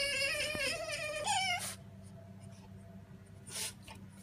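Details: French Bulldog giving a high, drawn-out whine with a wavering pitch that jumps upward partway through, then breaks off into quiet room noise with a brief faint sound near the end.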